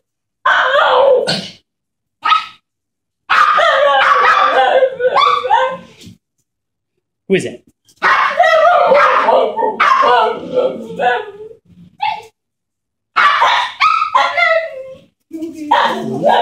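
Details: Puppies Wookie and Guinness, thrilled at a woman arriving home, let out bursts of high-pitched barks and yips separated by short pauses, mixed with human voices.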